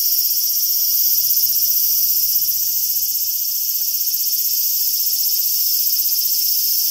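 A large brown cicada gives a steady, sizzling high-pitched drone like oil frying.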